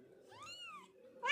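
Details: Mother cat transferring her five kittens from a shelter. One drawn-out, arched meow that rises and falls, followed by the sharp start of another loud meow at the end.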